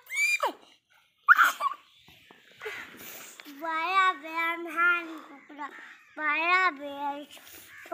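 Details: Playful baby goats running and jumping, giving drawn-out wavering bleats, each close to a second long and repeated several times, preceded by a few sharp, high squealing cries.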